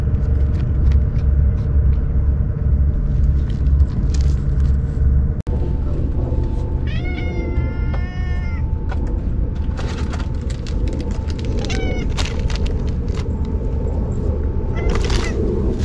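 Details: Ear-tipped stray cats, neutered under a trap-neuter-return program, fed on a hot day. A low rumble of wind or traffic runs throughout, with a burst of drawn-out, harmonic meows around the middle and shorter meows later.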